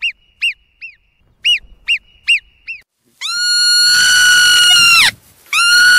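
A marmot gives short, sharp whistled chirps, then a long, piercing whistle that holds steady and drops at the end.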